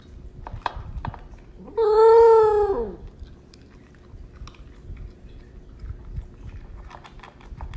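A corgi gives one short, tuneful awoo that swells, holds, then dips at the end.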